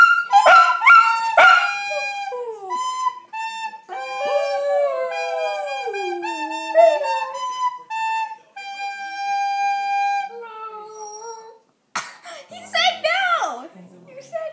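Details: A Shih Tzu, one of several dogs that started howling in apparent dislike of a child practising the recorder, howls with a wavering, sliding voice between the steady piped notes.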